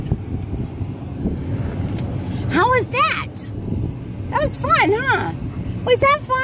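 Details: Alaskan Malamute named Tonka, riding in a vehicle at a car wash, gives a series of rising-and-falling, howl-like 'woo' vocalizations in three bursts over a steady low engine and machinery hum.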